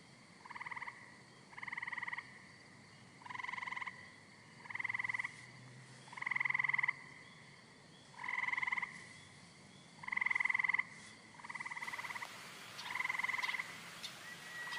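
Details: Green frog giving a steady series of about nine rattling, pulsed croaks, one roughly every one and a half seconds, over a quiet hissing background.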